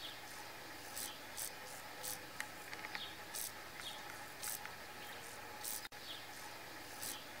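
Brief, high, scratchy bursts of a grasshopper's rasping come every half second or so, some longer and louder than others. A constant faint hiss of other insects and woodland ambience runs underneath.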